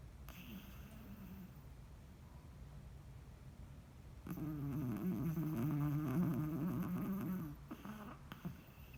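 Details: Soft breathing from a sleeping Chihuahua, whom a vet found healthy, swells midway into a louder, warbling, humming snore lasting about three seconds before fading back to quiet breaths.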